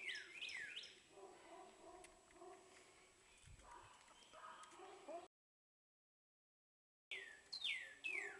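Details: Baby squirrels being fed by syringe give sharp, high squeaks that slide downward, a few at the start and again near the end, with quiet handling noise between and a brief silence.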